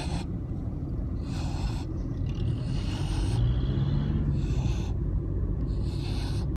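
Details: Sleeping Siberian husky snoring like a pig on 10 August 2015, heavy low rumble with rasping breath bursts about every one and a half seconds.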